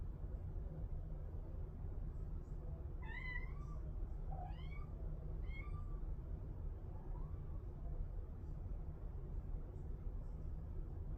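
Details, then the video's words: Kitten meowing: three high, rising-then-falling meows with bright harmonics come in quick succession in the middle, followed by a fainter fourth meow, all over a steady low rumble in the background. "Kitten Meows"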